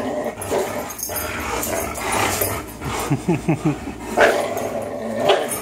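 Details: Fox, a 3-year-old Greyhound, and Miles, a 3-year-old German Shorthaired Pointer, play tug of war; low rumbling growls with a run of short pulsed growl bursts midway and a few sharper yelps near the end.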